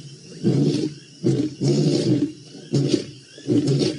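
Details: Lions in the Maasai Mara on 7 November 2017, roaring: a series of deep, rough grunting bursts, each under half a second, repeated roughly every 0.7 to 1 second, with low outdoor background.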